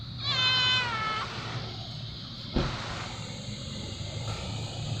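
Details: Hungry fluffy white cat meowing: a single clear harmonic meow right at the start, then a brief knock and quiet background hum for the rest.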